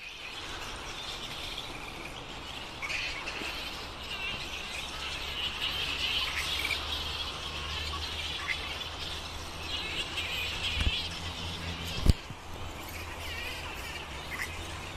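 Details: Flying fox colony roosting at Lansvale in Sydney, a continuous mass of shrill squabbling screeches and chirps rising and falling, with a steady low rumble underneath and a sharp knock near twelve seconds.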